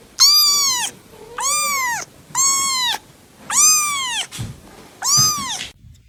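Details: Kitten-like cat meows repeated about once a second, six arched harmonic calls of similar length, with a faint softer mew in the background and light knocking sounds near the end.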